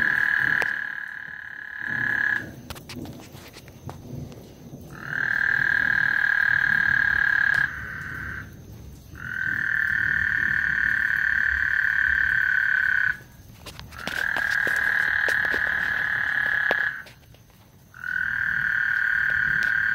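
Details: Frogs singing before a thunderstorm on Lake Houston: long steady trills near mid pitch, each lasting about two to four seconds, separated by short gaps, with faint low rumble beneath.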